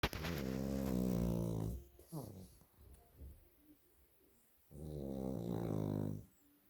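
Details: Two pug brothers resting on a bed snore loudly in long, low, rattling breaths separated by a quiet pause; Pug.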